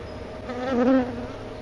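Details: A honey bee hovering around the recorder makes a steady, humming wing buzz that swells and fades as it flies close past.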